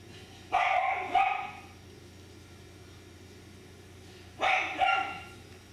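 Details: Miniature Schnauzer puppies; two pairs of short sharp barks, one pair near the start and another about four seconds later, over a steady low hum, with a person talking nearby.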